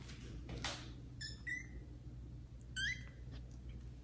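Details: Kittens Caramel and Zephyr, grown up and exploring other rooms of a house, meow loudly while meeting adult cats Kira and Daddy; three short, high harmonic meows, the last one rising then falling, over a low steady indoor hum.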